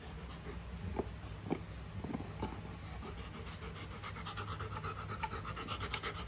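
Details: Golden retriever named Luna with a new carabao horn chew toy, panting in soft rhythmic breaths with a few sharper clicks and chewing ticks, low background hum throughout.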